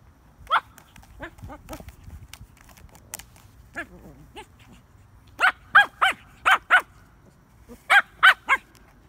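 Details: A Shih Tzu playing with a frisbee gives low, rough growls, then bursts of sharp, high yaps in quick pairs.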